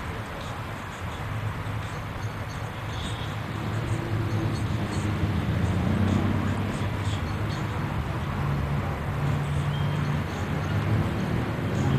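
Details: A steady low rumble of passing vehicles fills the recording, swelling slightly in the middle. No clear animal voice stands out above the road noise.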